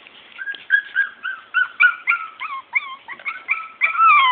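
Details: Morkie puppies, Maltese and Yorkie cross, whining in rapid succession: short high squeaky whimpers, some rising then dropping, about four per second, ending in a longer sustained whine.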